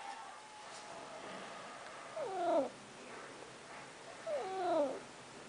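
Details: Snuggles, a female pet cat, talks while trying to get out: two drawn-out, downward-sliding meows about two seconds apart over a quiet indoor background.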